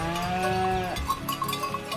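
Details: Cattle, including a bull, block a road in the Western Romanian Mountains as travellers wait for them to pass. A drawn-out, low, tonal moo ends in a downward slide, followed by ringing cowbells.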